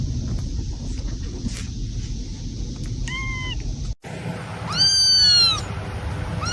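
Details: Two kitten mews over steady background hiss: a soft arched cry, then after a brief cut a louder, longer meow with a rising start and level, drawn-out tail.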